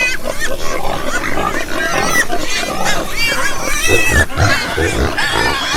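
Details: Pigs grunting and squealing continuously, with deep throaty grunts underneath overlapping bright wavering squeals, several animals calling at once.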